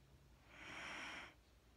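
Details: One long, airy exhale from Mattie, a Wheaten Terrier fast asleep, swelling and fading over under a second against faint low hum.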